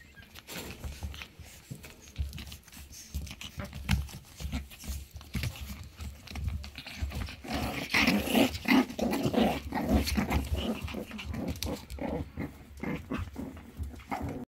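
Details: Three Shih Tzu brothers panting indoors: rapid, breathy, rhythmic huffs about three per second, with the steady pulses growing louder and denser in the middle before easing off toward the end.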